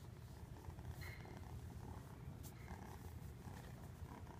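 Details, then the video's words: A fluffy domestic cat purring: a steady low rumbling drone with a fast even pulse, continuous throughout, with faint soft clicks and rustles above it. "Purring fluffy"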